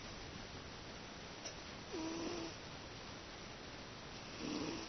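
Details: Sleeping domestic cat snoring peacefully, likened to a middle-aged man's snore: two drawn-out nasal rasps about two and a half seconds apart over steady background hiss.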